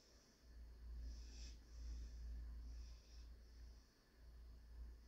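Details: Panzer, a German Shorthaired Pointer puppy, naps on 2/9/21. Two slow, airy breath-snores swell and fade about two seconds apart, with a constant deep background hum underneath.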